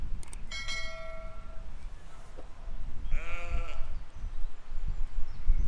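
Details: Sheep grazing with lambs in a field, filmed in spring 2020: two bleats, a steady one followed by a longer tremulous, wavering baa, over low rumbling wind noise.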